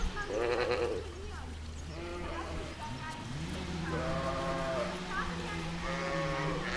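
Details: Ewe and lamb in a meadow giving a series of soft, quavering bleats of varying pitch over a steady low background hum.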